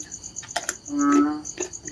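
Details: Narrow-mouthed frog giving a single drawn-out, nasal, droning call with a buzzy harmonic ring, lasting about half a second, over a steady high insect chirring and soft clicks.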